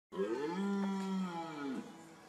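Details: A red deer (Cervus elaphus) stag gives one long, deep, throaty rutting bellow during the breeding season, swelling and then fading away.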